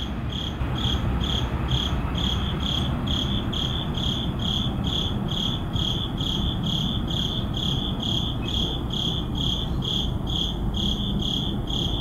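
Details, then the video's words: Crickets at midnight in an urban neighborhood, recorded on an ECM-M1 microphone: steady, high, pulsing chirps repeated about twice a second over a constant low rumble of city traffic. "Urban Midnight Crickets"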